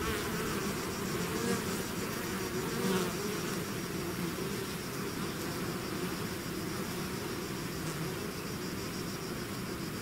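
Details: A bee swarm leaving the hive fills the air with an unbroken buzzing drone, individual wing tones sliding slightly up and down within the dense low hum, loudness nearly constant.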